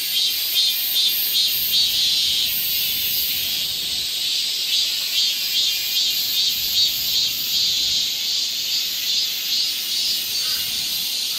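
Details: Summer chorus of cicadas in the forest of Galsan Park, Yangcheon-gu, Seoul, heard along a walking path: a dense, continuous high buzzing hiss with a faint pulsing roughly every half second, no other clear sounds.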